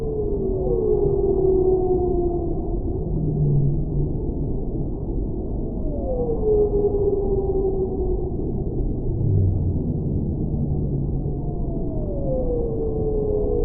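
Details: Whale voice for tinnitus relief and sleep: long tonal moans that rise briefly then slide downward, recurring every few seconds, with a lower hum-like note between them and a constant deep ocean rumble underneath.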